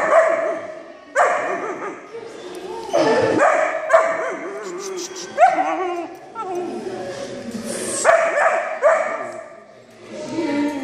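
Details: A very vocal Vizsla puppy on its first day at puppy school gives sharp, high yips and short barks in bursts, with people talking nearby.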